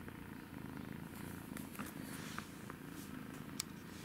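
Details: Steady low purr from a kitten at play, an even rumbling texture with a few faint taps and one sharp click near the end.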